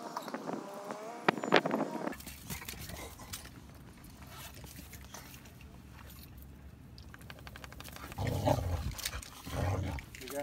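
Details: A little dog turning aggressive: a brief higher whine-like tone opens, then a low, rough, rumbling growl runs steadily for several seconds, swelling into louder bursts near the end.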